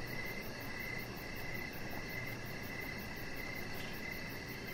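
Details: Outdoor evening chorus of crickets near a deck: clear, evenly spaced high chirp trains repeating every second or so, a quick high pulsing buzz above, and constant low-pitched ambient noise beneath.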